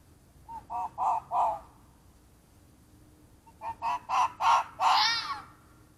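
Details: At night in woodland, a fox caught on a trail cam screams in two bouts of four or five raspy, clipped cries each, the last call drawn out and strained, with silence between the bouts.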